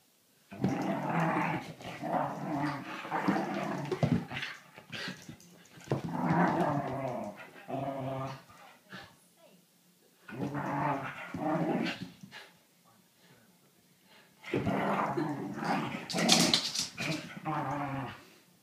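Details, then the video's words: Whippet at play, growling in long rumbling bursts with harmonic bands, four separate bouts spread across the recording with quiet gaps between, sharp clattering noises near the end, likely indoors in a small room. "whippet play"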